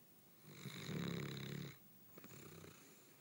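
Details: A nearly four-year-old Basset Hound snores on the lounge after a busy day of playing: a deep, rattling inhaled rumble followed by a softer, fluttering exhale.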